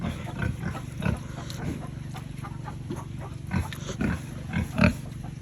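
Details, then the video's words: Farm pigs raised by a family, eating at feeding time: low, short grunting and chomping bursts come irregularly, several stronger ones near the end, over a steady low hum. "Pig Farming Eating"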